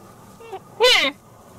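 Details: Red deer calf calling its playmate: a faint short bleat, then a loud nasal bleat lasting about a third of a second that falls in pitch, rich in harmonics, over quiet background hiss.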